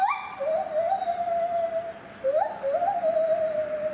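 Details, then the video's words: Lar gibbon singing at Safaripark Beekse Bergen on 9 July 2021: a short rising note flows into a long, steady, pure hoot, then a second upswept hoot holds level to the end, clear and loud over quiet background. "Lar Gibbon singing"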